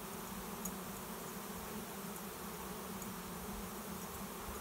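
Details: A honey bee swarm, first heard as a buzzing in the air, settling at a swarm trap behind a garage; steady mid-low droning hum with a constant tone band and faint clicks.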